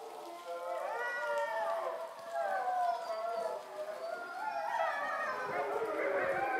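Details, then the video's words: Captive grey wolves at a visitor center in Šumava National Park, Czech Republic, howling at dusk in September from below a bridge, almost in the dark; several long, wavering, overlapping howls rise and fall together in a continuous chorus. "I was hoping that the Wolves would howl into the camera at dusk but this time they howled somewhere down below the bridge"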